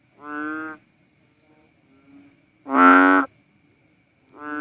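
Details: Philippine banded bullfrog, known as cowsound frog, giving deep moo-like calls, each about half a second long, in alternating softer and louder notes roughly every two seconds against a quiet background.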